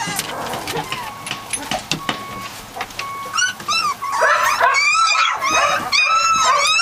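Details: Three-week-old Catahoula Leopard Dog puppies from one litter: scattered soft whines early on, then a dense chorus of high, wavering, arched squeals and yelps from several pups overlapping in the second half.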